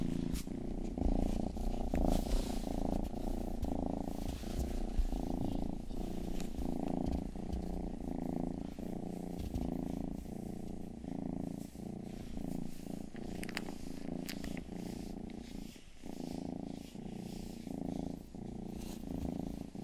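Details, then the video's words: Rangi, the family's youngest cat, gives a long rhythmic purr, a low pulsing rumble with breath cycles every couple of seconds, overlaid by crisp licking clicks from ear grooming for ASMR. "ASMR 하는 고양이!(Purring & ear licking sound)"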